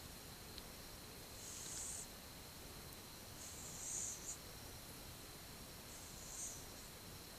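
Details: Sleeping one-year-old cat, filmed 8 October 2015, gives quiet hissing breaths about every two and a half seconds, each a soft airy swell against a constant background hum.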